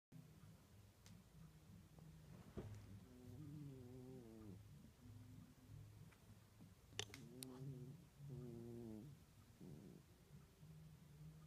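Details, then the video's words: Pet cat snoring indoors, the first time it has snored. Low, rumbling breaths repeat steadily, broken by several buzzy, wavering tonal wheezes on the in-breath, with a few faint clicks in the room. "SNORING KITTY"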